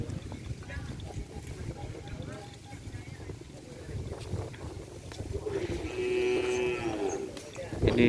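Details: Madura cattle, a racing bull used in kerapan sapi bull races, recently recovered from illness: a steady, sustained low moo of about one and a half seconds near the end, after a stretch of murmuring background noise.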